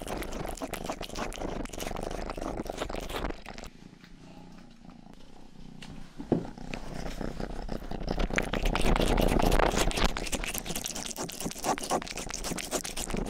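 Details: Rang-i, the youngest domestic cat in the household, purring and licking near the microphone in an ASMR recording; a rhythmic low purr pulses steadily under wet licking sounds, with a quieter purr-only pause midway before louder grooming returns.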